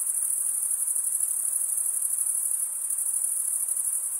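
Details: Male crickets stridulate, wing scraping over toothed wing, producing a steady shrill trill high in pitch, faintly pulsing, constant in loudness, with nothing else audible.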